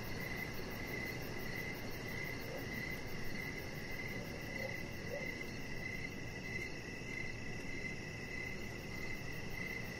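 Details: Outdoor evening cricket sounds near a deck with a chihuahua puppy; pulsed chirps recur steadily above a continuous high trill, with a few faint short sounds midway and low rumble beneath.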